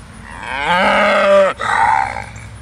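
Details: On Gwynnbrook Farm a Belted Galloway, the rare black-and-white-banded Oreo cow, gives a strong rich moo that swells for under a second, cuts off sharply, then resumes briefly in a rougher tone.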